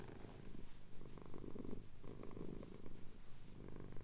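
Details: Brief stretch of a male cat's purr during a chin scratch, Cotswold hills at sunrise, Tascam DR-07X recorder; a soft, low vibrating drone swelling and easing in quick breathing rhythm.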